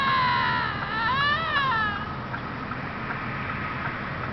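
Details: Fighting bobcat letting out a loud, wavering, harmonic scream that rises and bends down over two seconds, then fades into a lingering thin tone and background hiss.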